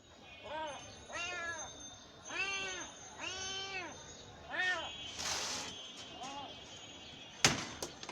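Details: Cat meowing repeatedly: a run of arched, harmonic meows, each rising then falling, about one every second, with short scuffs and a sharp click near the end.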